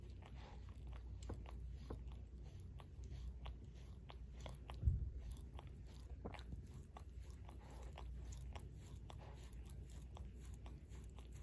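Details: Close, quiet wet lapping and clicking as Barry the Shorkie licks his paw, irregular smacks throughout, with one louder dull bump near the middle and no voices.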